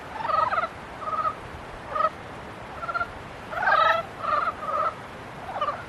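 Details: Frogs calling during mating season: short pulsed, nasal bursts from several overlapping callers, repeated in quick groups with brief gaps.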